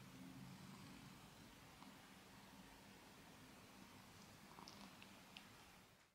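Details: Male pet cat Socky purring while cleaning his foot: a low, steady rumbling purr with faint harmonic bands, strongest in the first seconds, then soft licking clicks and rustles before the sound cuts off.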